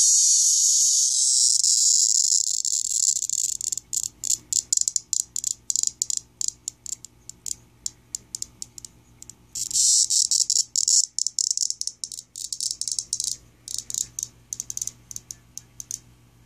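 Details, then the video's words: A captured male cicada gives harsh, high buzzing bursts, a distress call made while it is being held in the hand indoors. "A Cicada "Chirping""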